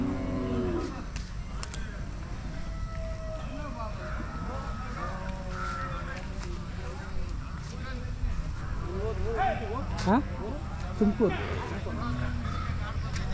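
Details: Hallikar cattle at the Jodugatte cattle market, a sale of pure Hallikar cattle. Several low, drawn-out moos with a slight wavering pitch rise over a steady crowd murmur, with people talking and general market bustle throughout.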